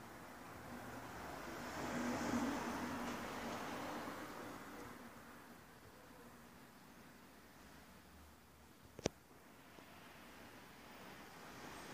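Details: Quiet room tone with low hum and faint rustling, a soft swell of noise around two seconds and a single sharp click near nine seconds; no animal voice heard.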